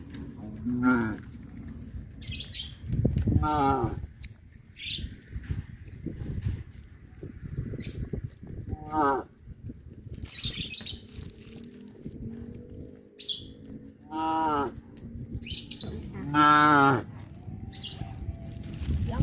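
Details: Several cattle on a traditional village farm give deep, drawn-out moos in turn as they pass along a road by fish ponds toward the grazing fields, with small birds chirping high above.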